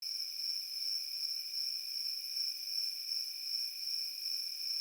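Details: Crickets in a field produce a steady, high, ringing trill with a fainter lower band beneath it. The pulses run continuously without breaks. No other sounds stand out.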